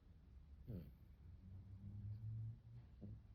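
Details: Arjuk, a dog asleep on its back because of the heat, snoring softly: a quiet rasping snort, then a long low rumbling breath, and another short snort near the end.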